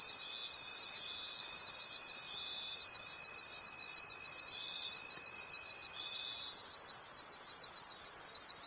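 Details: Crickets in a forest after dark make a steady, high-pitched throbbing chorus in regular swells, with a lower thin continuous tone holding for most of the clip before fading out.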